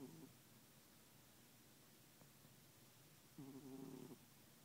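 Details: Calico cat snoring loudly while asleep together with another cat indoors; quiet, low rasping snore breaths, the strongest and longest near the end, over a faint steady hiss.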